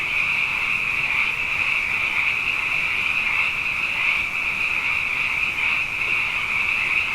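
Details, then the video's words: A wall of frog calls at night, the animals abundant following two wet years; high continuous trilling rises and falls slightly in loudness, with a lower band of croaks adding texture throughout. "Frog Songs: Na Mele o nā Paloka"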